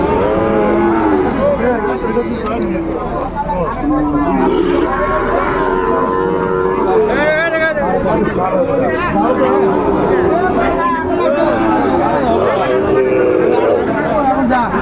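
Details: Cattle at a busy market in Munshiganj, Bangladesh, on 28 February 2025, where a farmer buys a Sahiwal bull; scattered low moos swell and fade beneath constant crowd chatter and haggling voices.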